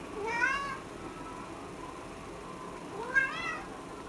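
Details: Cat meowing twice, about three seconds apart. Each meow is short and clear, rising then falling, over a quiet background.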